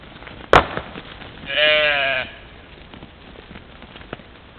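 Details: European mouflon from a herd playing at a waterhole in the morning, caught by a trail camera in Czempiń forest district, Wielkopolska, Poland, 13 July 2018; one harmonic-rich bleat lasting under a second, preceded by a sharp click, amid quiet background hiss.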